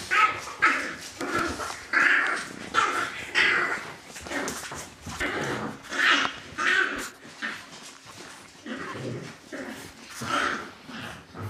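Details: Dog litter vocalising in a steady stream of high yelping whimpers, roughly one or two per second, bursts of varied loudness overlapping from several pups, with shuffling and scratching noises underneath.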